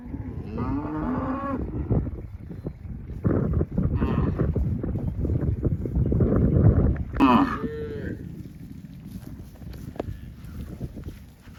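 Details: Cattle led by herders heading to the farm through wide green rice fields: three brief lowing calls, the first wavering, the last a loud abrupt bellow, amid continuous low outdoor rumble and scattered knocks.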